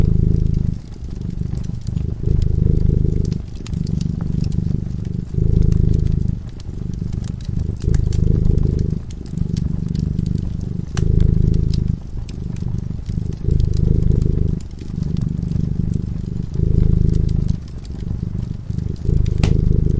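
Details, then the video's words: A cat in peaceful slumber before a fireplace produces a soft, low-pitched purr that pulses in regular swells of roughly one and a half seconds, accompanied by the scattered crackling of flickering flames. "Purring cat"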